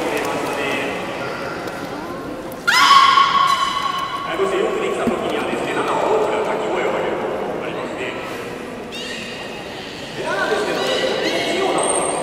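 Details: Captive beluga at Port of Nagoya Public Aquarium in a public training session, 18 July 2016, afternoon show: a sudden loud, rich harmonic squeal, then wavering tonal calls and a later burst, with an audience chattering behind.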